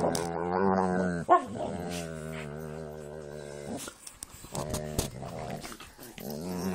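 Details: Pit bulls and a Jack Russell at play. There are long, wavering growls and whines with a full harmonic tone, broken by sharp knocks and scuffles. Brief pauses separate the bursts, and the growling resumes toward the end.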